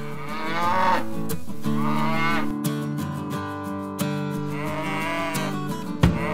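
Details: A domestic cow gives long, low moos over steady background music; cows likely moo to keep in contact with the herd and express their feelings.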